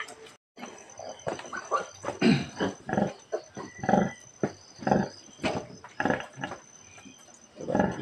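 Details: Sow giving birth, the fourth sow to farrow this year in a backyard piggery, recorded March 18, 2024: low rhythmic grunts in short pulses about every second, with a man speaking Tagalog nearby.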